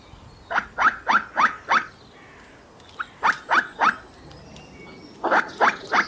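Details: Squirrel giving harsh, clipped chucking barks in quick bursts, five in a row, then a brief pause and three more, then another three, roughly four calls per second, against a quiet outdoor background.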